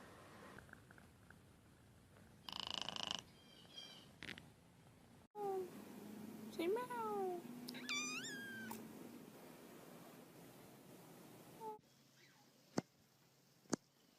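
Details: Domestic cat in a funny compilation of short edited clips, giving several rising-and-falling harmonic meows in the middle section between abrupt cuts, with background noise and brief other sounds around them.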